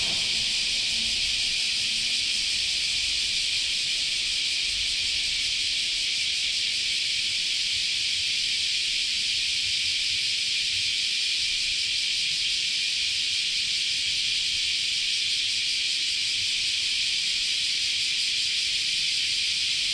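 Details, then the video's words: Continuous chorus of cicadas at Chionji Temple, Kyoto, in Japanese summer: an even, high, hissing buzz filling the whole stretch, with a brief faint low hum at the start. "Sounds of Japanese Summer, Continuous Chorus of Cicadas"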